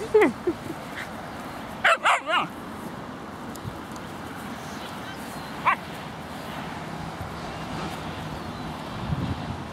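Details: Playful yelps and a tight run of barks from Margo, seven months old, and a four-month-old Husky puppy wrestling in a Laguna Beach dog park, with a lone later bark and faint human voices.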